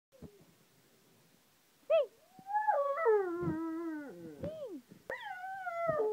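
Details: Rottweiler dog singing: after a short yelp, a long wavering howl slides downward for about two seconds, then a second high howl begins and falls gently, rich in harmonics.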